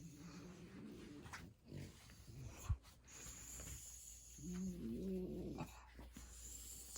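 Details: Sleeping French Bulldog indoors, tickled on its paw pads. It gives a low, wavering, nasal grumble lasting about a second, with soft rustling and quiet breathing around it and a Korean-speaking man before and after.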